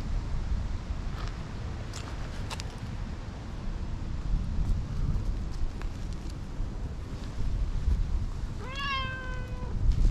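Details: Tortoiseshell cat, napping up in a tree before coming over to rub hard and affectionately; near the end one clear, drawn-out meow with a slight downward slide, over steady wind rumble and faint rustling clicks.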